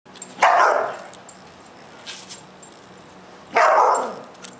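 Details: Siberian Husky barking while chasing a bee, two loud sharp barks about three seconds apart with quiet background between them.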